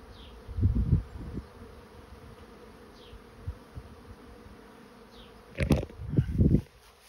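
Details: Honey bee swarm entering a swarm trap, its low, continuous hum broken by sudden loud, thumping bursts near the start and again toward the end, with a few faint high chirps heard in the distance.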